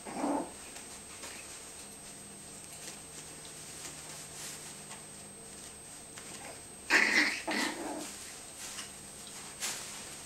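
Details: Yorkie and Tibetan Terrier puppies playing their favourite biting game in a bean bag. A short rough burst opens, then a louder cluster of scuffling growls and yaps comes around seven to eight seconds, over a steady high electrical whine.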